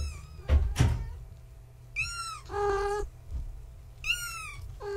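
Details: Young kittens of Gaia, a fluffy tabby mother cat, born March 14, 2017, playing at bedtime: two high, falling kitten meows with a lower, longer meow between them, plus thumps and knocks at the start.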